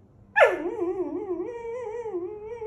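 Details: Poodle at home whining insistently for his pillows: an abrupt loud onset, then a long wavering, tonal whine that rises and falls for over two seconds, with a faint room hum behind it.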